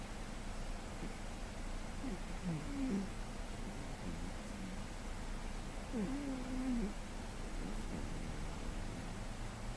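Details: Sleeping soundly in May 2013, the male house cat GhostCat snores quietly below his loudest; two wavering whistled breath squeaks, about four seconds apart, rise over a constant low rumble.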